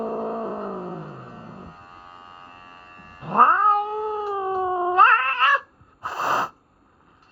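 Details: Norwegian Forest Cat at a veterinary hospital during a health check and trimming, unhappy with the grooming: long drawn-out moaning wails, a low falling howl followed by rising, wavering cries and a short noisy burst near the end.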